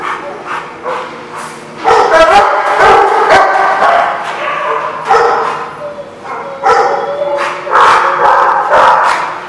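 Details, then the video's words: Several dogs at a boarding lot bark in bursts, sharp overlapping barks and yips coming roughly twice a second, with brief quieter pauses between loud flurries. "The Barking Lot"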